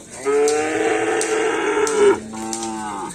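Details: Cattle at karapan sapi bull race training on a field in Aseamanis: a loud, harmonic, drawn-out moo lasting nearly two seconds, then a shorter, lower second moo, with sharp clicks and knocks in the background.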